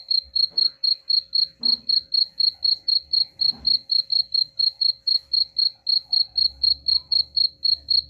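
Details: Cricket chirping, played as a sound to drive away rats: a steady train of high, bright pulses, about four each second, with faint low rumbling underneath.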